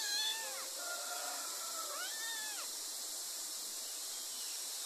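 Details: Kittens mewing: a falling cry, a long level wavering meow, then a rising-falling one, all high and thin over steady background hiss.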